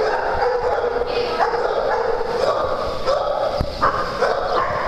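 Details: Dogs at playtime on a farm; continuous mix of barks and yips over a dense steady background, with a sharp click near the middle.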